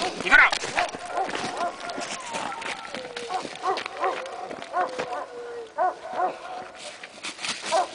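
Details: Young Presa Canario (Dogo Canario) during protection training: deep barks in quick pairs and bursts over several seconds, mixed with a man's shouted commands and a faint drawn-out whine.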